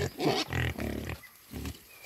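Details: Wild boar grunting while being fed: deep, rasping grunts in quick bursts, three or four close together, then a pause and another grunt, with steady background noise throughout.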